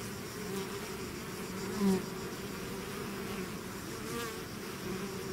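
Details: A swarm of bees emerging from its hive, steady low buzzing hum with one nearer bee swelling louder just before two seconds before the drone settles back.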